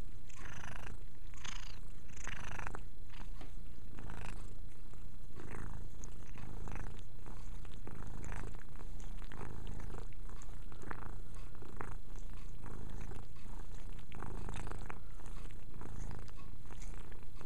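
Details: Mia, a pet cat, purrs as she grooms herself inside; deep, even purring runs throughout, broken by repeated short licking and scratching noises.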